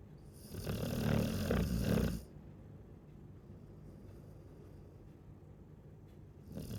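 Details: Snoring Chow Chow: one loud, rough low snore lasting over a second, then a quiet pause and the start of the next breath.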